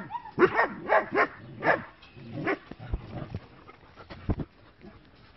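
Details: Short-haired working-line German Shepherd puppies, bicolour and black, give a quick run of high, squeaky yips and whimpers, then fall quieter.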